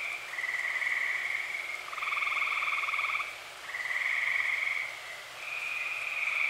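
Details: Tree frogs sing at night during early summer in Eastern Pennsylvania, several long pulsed trills of about one and a half seconds following one another, a higher line over a lower buzz with no gaps.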